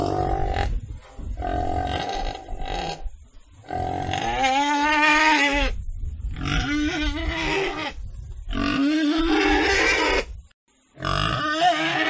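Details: Pig sounds: harsh grunting squeals of varying length, some steady and nasal, others wavering, broken by short pauses and one near-silent gap before a final squeal.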